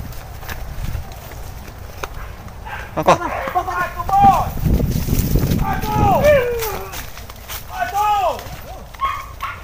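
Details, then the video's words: Hunting dogs, released one by one into the bush, chase wild boar. Several arched, harmonic yelping barks come in quick bursts, some overlapping, over a low rumble of movement through the undergrowth and people's voices. "SUARA ANJING BERBURU BABI HUTAN - WILD BOAR HUNTING"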